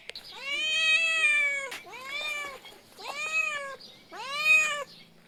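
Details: Little kitten giving tiny meows: four clear, drawn-out harmonic meows, each rising then gently falling, spaced about a second apart in a quiet indoor setting.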